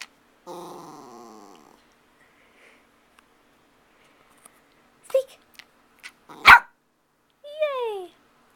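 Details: Dog missing someone indoors: a drawn-out, wavering, nasal whine of over a second, then silence, a few clicks and knocks, and a final short falling whimper; no barking is heard.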